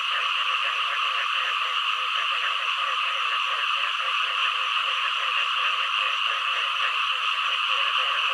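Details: Frogs calling together: rapid, evenly pulsed low croaks repeat several times a second beneath a dense, steady, higher-pitched chorus that fills the whole recording without a break.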